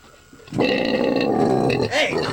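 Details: Pregnant sow on a Collinsville farm, close to giving birth and nest-building, lets out one sustained harmonic squealing grunt of about one and a half seconds, with music faintly underneath.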